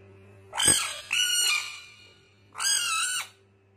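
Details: Frog screaming while fighting: two drawn-out, nasal, harmonic-rich wails about half a second each with a brief break between, then a third level scream, backed by a constant low hum.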